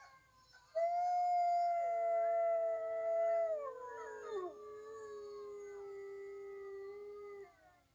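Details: Wolves howl: a drawn-out tonal howl that holds a clear pitch, then dips and settles lower for several seconds, with a second voice briefly overlapping near the start, hinting at more than one howler.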